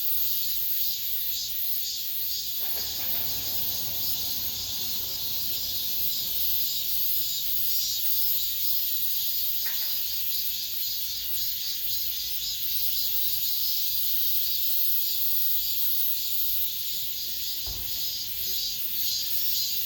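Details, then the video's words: End-of-summer cicada chorus within an apartment complex, a continuous shrill hiss with gently pulsing intensity, broken only by a few brief knocks near the start, middle and end. "올 여름 마지막 매미소리"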